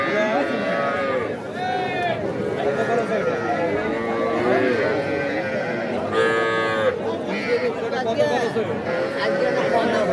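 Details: Crowded cattle market at Aftabganj, Nawabganj, Dinajpur, 5 September, where calves and young bulls are traded; a chorus of long, rising and falling moos runs throughout, with a sharper call near the middle, over background chatter.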